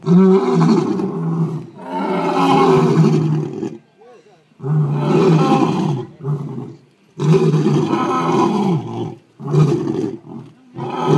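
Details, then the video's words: Captive lions at Melbourne zoo, Australia, talking to each other: a series of deep, heavy roars lasting one to two seconds each, coming about every two seconds with short silent gaps between. "Lions talking to each other"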